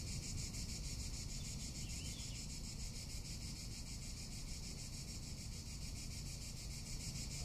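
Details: Summer cicada chorus in Tuscany, a continuous shrill hiss throbbing with fast regular pulses, with a brief faint chirp near the middle and low wind rumble beneath.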